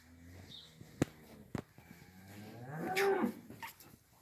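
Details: Young heifers, including Simmental crosses, in a barn in Afyonkarahisar, Turkey; loud rising and falling moo late in the clip, preceded by sharp knocks and a low hum.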